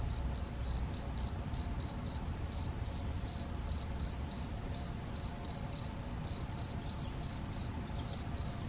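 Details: Shrill, high-pitched chirping from a male Gryllus campestris, Macieira da Maia, Vila do Conde, Portugal, 7 May 2021, recorded on a Canon PowerShot SX70 HS; short pulses repeat steadily about three times a second over soft low background noise.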